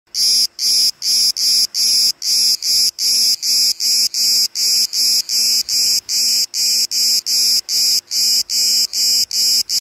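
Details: Cicada cretensis singing in summer on the island of Crete, Greece: loud, dense buzzing pulses repeated about two or three times per second in a steady rhythm, with short gaps between each burst.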